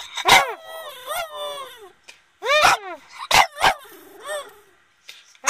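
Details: Boston Terrier vocalising: sharp barks mixed with short arched howling yelps, several loud bursts in quick succession, followed by a lower drawn-out moan and a final bark.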